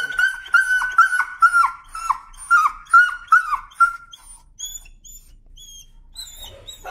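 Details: A timid dog, afraid of the leash and very sensitive to leash pressure, screams in protest: shrill, sharply falling yelps repeated about twice a second for four seconds, then a few thin, high whines trailing off in a small indoor space.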